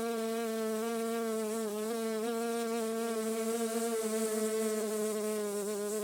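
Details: Honey bee producing its characteristic buzz in a garden setting. A low, unbroken droning hum continues for six seconds, its pitch flickering briefly now and then.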